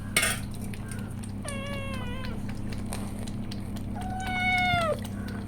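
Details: Pregnant house cat, resting before giving birth, is offered milk and answers with two separate meows, each long and slightly falling. A constant low hum plays underneath, and brief clicks come in between.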